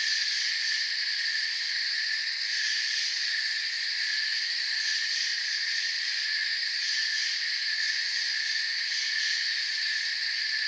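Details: Chorus of crickets in a forest, a seamless high-pitched chirring wall of sound holding steady with slight flickers in the upper tones, no other animals standing out.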